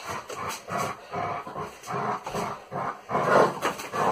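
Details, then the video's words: German Shepherd named Salvo during a training session, giving rough, noisy growl-like bursts in quick succession, each lasting under half a second, with a louder, fuller burst near the end. "Training together with a German Shepherd"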